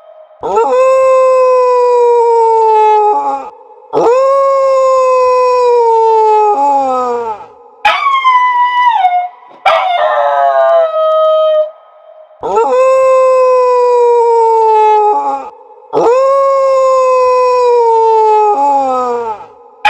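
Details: Dogs howling: long sustained howls of about three seconds each, slowly falling at the end, with rich harmonics, alternating with shorter wavering howls that drop sharply in pitch, in a loud repeating sequence.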